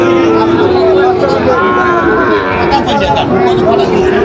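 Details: Sahiwal bull calves at a busy cattle market, bought by a Noakhali farmer on 6 July 2025; a drawn-out, steady low moo opens the clip, then fainter lowing beneath constant crowd chatter and talking.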